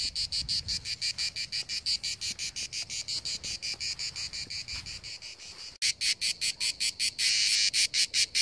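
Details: [2, 'Seaside cicada chorus in rapid, regular high buzzing pulses. The song breaks off for an instant near the end, then resumes louder and harsher over a soft low background.']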